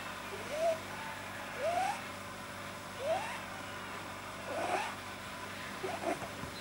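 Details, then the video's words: Relaxed domestic rabbit named Pamuk, whose vet-diagnosed overly long soft palate causes odd sounds, gives a series of five brief upward-sliding squeaks, roughly one per second, over a quiet indoor hum. "Pamuk funny bunny noise - Kaninchen lustige Geräusche"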